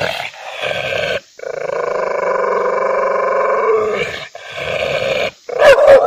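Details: Angry dog giving a long, steady, harsh growl lasting several seconds, broken by brief pauses and ending in a couple of sharp barks.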